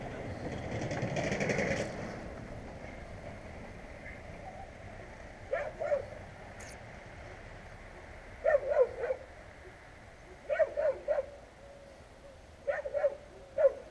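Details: Street dogs on a road known for annoying, unrestrained dogs, filmed with a GoPro Hero. Broadband vehicle rumble fades, then sharp barks burst out in clusters of two or three at intervals, over faint outdoor background.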